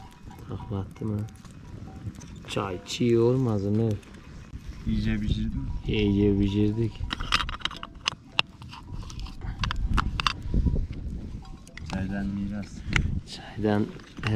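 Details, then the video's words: Akkaraman lambs, male, newly separated from their mothers, calling for them: loud wavering bleats with a strong tremble, several in a row with short gaps, over rural background noise and occasional human voices. "ARTIK KUZULAR ANNELERINDEN AYRILDI | ANAAAA ANAAA nerdesin diye bağırıyorlar"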